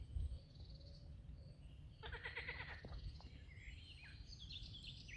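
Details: Early-morning frog at a green-covered pond along a hiking path gives one short, raspy pulsed croak of rapid clicks lasting under a second, while birds chirp and whistle higher up and a low background hum continues.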